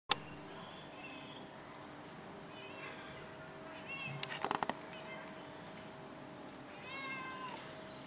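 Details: Domestic cat meowing indoors: a few short, faint harmonic meows early on, then a clearer rising-falling meow near the end, with scattered clicks and knocks in between.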